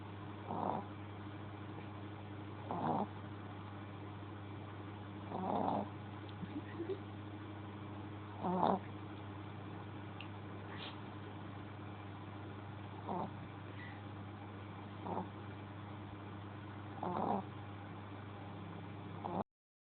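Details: Pet Shih Tzu asleep and snoring: soft, rasping snores recurring roughly every two to three seconds over a constant low electrical hum.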